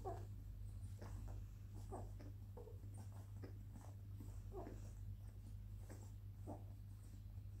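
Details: Labrador Retriever puppies, twenty days old and still suckling, give short squeaky whimpers, about ten scattered bursts over several seconds, some slightly rising, above a steady low hum.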